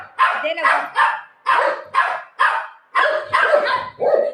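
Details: Buzo the golden retriever, playing and refusing to give up a pillow, barks about nine times in quick succession, short harsh bursts roughly every half second.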